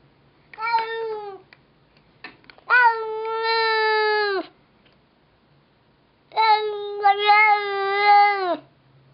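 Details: Domestic cat named Verbal, off screen, chatting with a neighbour cat: three long, drawn-out meows, the second and third each lasting around two seconds with a steady, slightly wavering tone, separated by quiet pauses.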